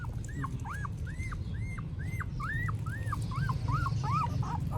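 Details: Newborn puppies in Cambodia whimpering: a steady series of short, arched, squeaky whines, about three or four per second, rising then falling in pitch, over a low rumbling background, recorded on a phone.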